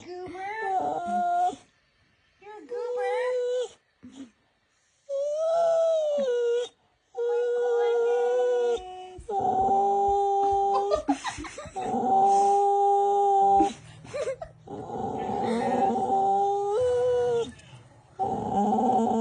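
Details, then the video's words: A very verbal rescue dog making varied new noises: drawn-out moaning whines and short warbling yowls that bend up and down in pitch, broken by brief silences, with a person talking alongside. "making some new noises. She is a very verbal, opinionated and fun dog."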